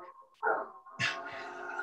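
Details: Basset hounds sitting outside and howling, heard indoors during a conversation: a short yelp followed by a sustained, steady, tonal howl.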